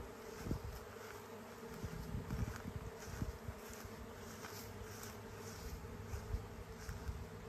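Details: A huge honey bee swarm flying through the air toward a new home gives a dense, low buzzing drone that swells and fades as bees pass close, with a thin, steady high whine above.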